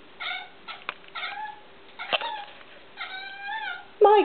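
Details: Indoor cat bothered by a tiny bug on the wall makes a series of short chirps and trilled meows, some wavering in pitch, ending with a louder bent call, with a low steady hum underneath.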